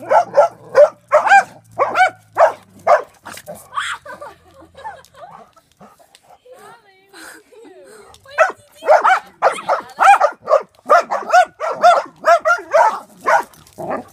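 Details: Dogs barking at a drone: rapid, harsh barks roughly twice a second in two bursts, separated by a quieter stretch of about four seconds with soft scattered sounds.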